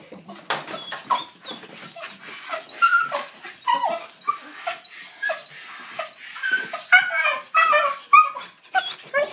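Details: Ten-year-old pet dog screaming with excitement on seeing the leash before a walk, indoors: rapid run of high, shrill yelps and whining squeals in uneven bursts, some sliding up and down, with brief gaps between.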